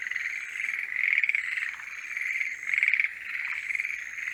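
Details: Forest green tree frogs singing in the mating season: a dense chorus of rapid, rattling pulsed croaks with louder bursts swelling about every one and a half seconds, and a thin steady high whine above.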